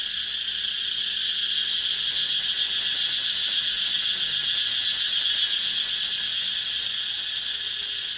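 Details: Cicada. Cicadas fill the air with a steady, piercing high buzz, soon breaking into rapid, even pulses about four times a second. A faint low steady tone hums quietly beneath the insects.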